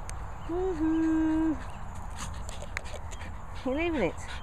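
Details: French Bulldog named Olive giving a drawn-out, level whine lasting about a second, then after a pause a shorter arched whine that rises and falls, over a steady low background rumble with faint clicks.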